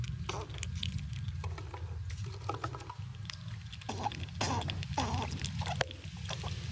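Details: Squirrels eating nuts outdoors in winter and pushing each other around; crunchy cracking and gnawing bursts come in irregular clusters over a steady low rumble of background noise.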